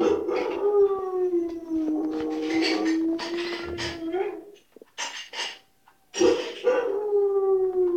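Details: White shepherd dog giving a long, steady howling whine that slides slightly downward, broken by a brief gap with short clicks and noises, then resuming as a second drawn-out, gradually falling howl.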